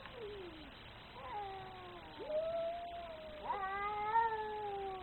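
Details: Very angry cat: a falling whine, then a rising moan that levels off, and finally a loud, drawn-out, steady wail held for over a second, in otherwise quiet surroundings.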